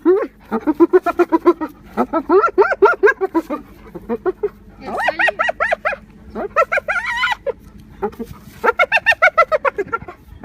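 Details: Spotted hyena. A spotted hyena cackles in quick runs of short, nasal, harmonic notes, several bursts climbing and wavering in pitch like eerie laughter. Faint background hum sits beneath the calls.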